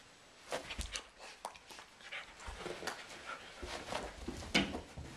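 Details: Indoors in April, a German Shepherd and a Doberman play-wrestle in a living room with two small sheep nearby; sharp huffs, panting and a brief whimpering yelp amid quick scuffling thumps in a small room.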